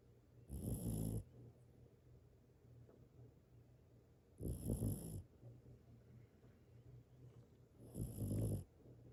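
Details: Dog snoring while asleep: three loud rasping snores about every four seconds, each lasting under a second, with a low hum and quiet breathing between them in a still room.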